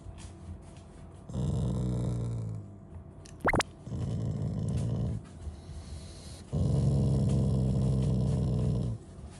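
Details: Shiba Inu growling in front of a fridge, refusing to move, an affectionate rather than angry growl: two long low rumbling growls of about two seconds each separated by a quiet pause, a short high squeak between them, a person speaking beforehand.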